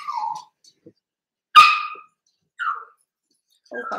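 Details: Seven-week-old Cavalier King Charles Spaniel puppies from Daisy's litter in an indoor home puppy pen give short, high, tonal whimpers that slide downward, spaced by silences, one sharper squeal in the middle, a faint voice near the end.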